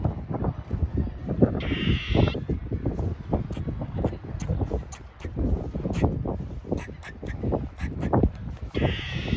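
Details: Squirrel under an American flag giving short nasal squawks, one early and another near the end, each harsh and buzzy, over constant low rumbling wind-like noise and scattered clicks.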